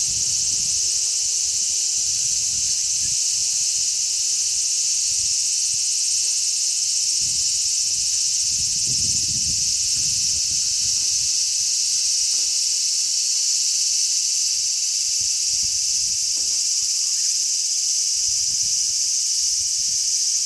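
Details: Large brown cicadas in numbers calling from a zelkova tree, 3 August 2010, with strong sea breeze. An unbroken shrill, hissing buzz holds constant pitch and loudness, while low gusts of wind rumble beneath, strongest near the middle.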